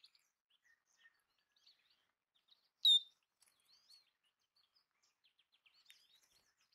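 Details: Belding's ground squirrel, also called sage rat, eating bird food: one sharp, high, downward-slurred squeak near the middle, with faint scattered bird chirps around it.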